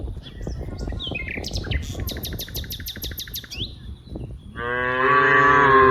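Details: Dozens of cows at play in green rice fields; birds twitter with a rapid repeated trill first, then a single loud, full moo swells up and holds until the end.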